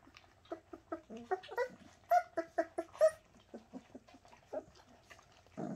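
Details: Shasta's Bernese Mountain Dog puppies whimpering and yelping indoors in a quick series of short nasal squeals, about one a second, some louder peaks in the middle, ending in a brief rustling noise.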